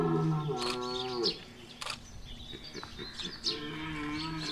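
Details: Red deer stag bellowing during the rut at Chambord, Loir-et-Cher: one deep, harmonic-rich moaning bellow held about a second, then it drops off. Scattered clicks, knocks and faint higher calls follow against low background noise.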